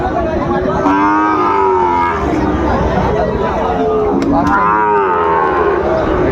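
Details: Sahiwal bull calves at a busy cattle market during price haggling, 17 March 2025: two long, wavering moos, the second rising then sliding down, over steady crowd murmur.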